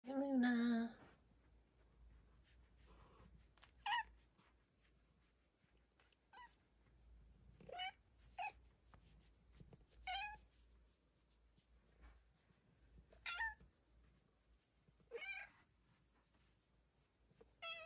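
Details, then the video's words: Bengal cat named Luna, a pet indoors on her favorite spot, telling a story with sweet tiny meows; one louder wavering meow at the start, then a series of soft, short, rising meows every couple of seconds in a quiet room. "Kitty with the sweetest meow!"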